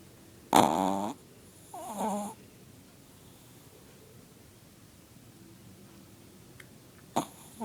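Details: Chihuahua snoring really loud while asleep, at times with eyes open: two rasping, buzzy snores about a second apart, the first louder, then quiet breathing with a brief faint sound near the end.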